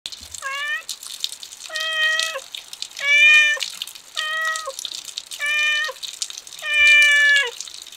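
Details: Kitten, described as starting to act cute and affectionate, giving six clear, harmonic, slightly falling meows spaced about a second apart, each lasting around half a second, with faint running water in the background.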